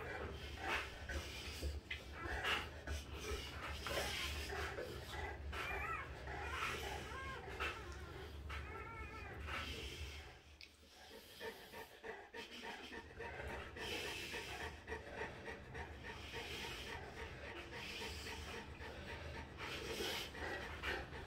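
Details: Three-day-old Dogue de Bordeaux puppy with hiccups, giving thin, high, wavering squeaks and whimpers with short catches throughout, over a steady low hum.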